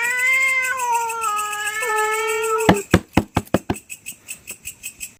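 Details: Cats squabbling over territory at night give a sustained, slightly wavering yowl for nearly three seconds, which cuts off abruptly, followed by a series of sharp knocks and a steady rhythmic ticking.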